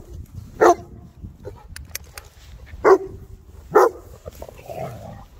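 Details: Three Boerboel mastiffs from South Africa playing: three loud short barks, the last two about a second apart, with clicking noises and a low rumbling background between.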